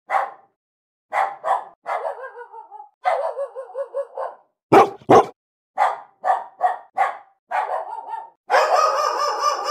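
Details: Angry dogs barking in a real recording: short sharp barks in irregular bursts, some drawn into tonal whining notes, ending with a longer harsh, strained bark.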